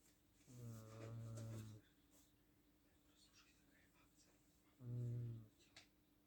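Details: Sleeping house cat giving two deep, rumbling snores about three seconds apart, the first long and drawn out, the second shorter, against a quiet indoor hum.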